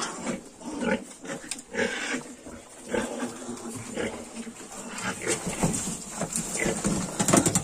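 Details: Several Yorkshire piglets, 22 days old, grunt softly and squeal in short scattered bursts. The chorus stays fairly low in level, with a few sharper squeals near the end.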